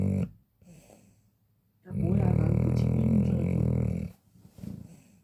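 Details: Sleeping Chow Chow, a large dog, snoring like a person: a short snort, quiet pause, then one long, loud, gravelly, low droning snore of about two seconds, followed by softer breathing.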